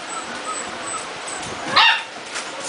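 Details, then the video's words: Jitterbug puppies just over a month old, a lively litter; a single sharp high yip near the end, otherwise quiet background hiss. "Jitterbug puppies"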